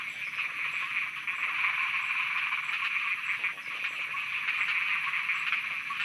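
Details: Night frog chorus recorded in Thailand, many frogs croaking together in a steady, dense wall of fast rasping pulses that swells and dips slightly, with thin high ticking overhead and no voices or traffic.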